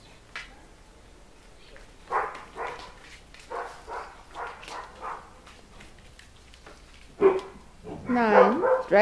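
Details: Collie puppies in their eleventh week, from a litter: a run of short yips and barks spaced under a second apart, then a louder wavering whine near the end, with a person speaking German nearby.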